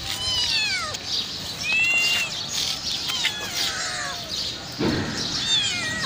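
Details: Homeless hungry mother cat and her five cute kittens crying loudly: repeated shrill meows, several dropping steeply at the end, overlapping one another. A brief low thump comes near the end.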